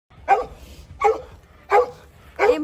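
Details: Kangal at Empati Çiftliği, a Turkish shelter farm for street animals: four loud, sharp barks roughly 0.7 seconds apart, each a short harmonic burst, with a quiet background between them.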